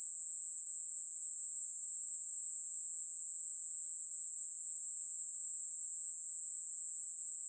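A katydid sings a steady, high-pitched, unbroken buzz that hisses on without pause.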